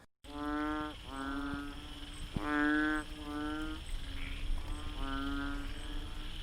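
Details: Banded bullfrog recorded in Singapore giving deep, nasal, drawn-out moaning calls, each about half a second, repeated.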